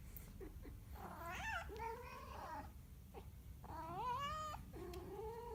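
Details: Cat yowling in a series of long, wobbling, bleat-like cries that bend up and down in pitch, one after another with brief pauses, in a small quiet room.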